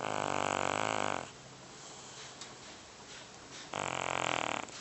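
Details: Large sleeping domestic cat weighing about 30 pounds, snoring loudly indoors: two long, harsh, buzzy rasping breaths with a quiet pause between them.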